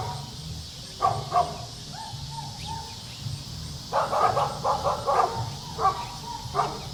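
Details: Dog playing alongside children: a few isolated barks and a faint whine early, then a fast rattling series of barks in the second half, over continuous low background noise.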